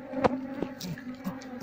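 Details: Honey bee colony moved into a cardboard cultivation box while the keeper looks for the queen: a constant low droning hum with sharp tapping clicks over it.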